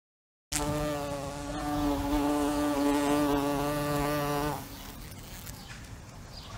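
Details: After a moment of silence a fly's buzz starts abruptly, a rich humming tone with many overtones, slightly rising and growing louder for about four seconds, then cutting off and leaving faint background noise.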